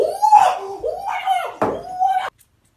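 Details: Maine Coon cat indoors in a small room, uttering three drawn-out, wavering meow-like calls with gliding, harmonic-rich pitch in quick succession, ending abruptly in silence.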